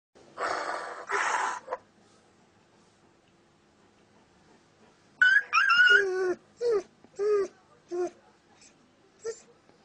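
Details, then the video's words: Dog reacting to various sounds: after two harsh noise bursts, a run of high, wavering whines and short yips comes in quick, uneven succession, fading into a few softer squeaks. "У собаки забавная реакция на различные звуки"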